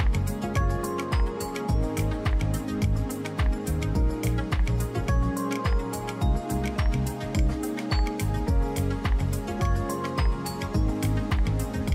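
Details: Steady instrumental music with a regular beat and layered tones plays throughout, with no animal sounds.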